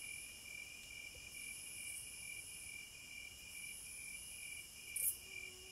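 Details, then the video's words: Cicadas in the wilderness: a steady, shrill, high-pitched drone with a constant ringing tone, and a brief louder buzzy burst near the end. No music. "Sounds of the Wilderness & Nature ASMR Study Rest Relaxation Sleep White Noise No Music - Cicadas"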